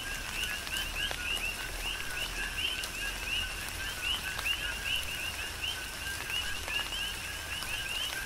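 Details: Coqui frogs in a tropical rain shower on the Big Island, Hawaii: a dense chorus of two-note calls, a lower note followed by a higher upswept chirp, repeated by many overlapping frogs beneath steady rain patter and drips.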